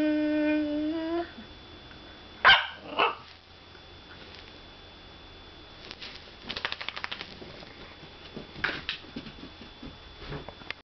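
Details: Whippet indoors: a long high whine at the start, then a sharp bark, followed by rapid scratchy sniffing and shuffling sounds and another short yip near the end.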